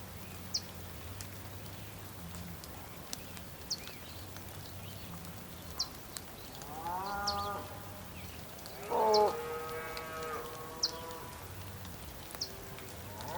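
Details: Bulls on a rainy day in Tierra del Fuego, Argentina, on the Patagonian plain: a moderate moo midway, then a louder, longer bellow that starts sharply and holds level. A low rumble and brief high bird notes sound in the background.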